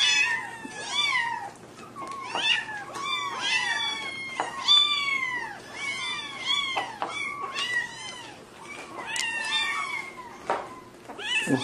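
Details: Repeated cat meows, short, high and insistent, over a dozen in rapid series, some sliding downward, others clipped, as a kitten from a funny compilation keeps calling in a small room.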